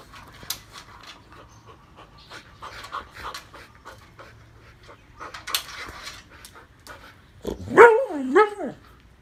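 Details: Siberian Huskies, including Patty the Husky, given a snack indoors: several seconds of panting and mouth noises, then a short, wavering, harmonic woo-like vocal that rises and falls twice near the end.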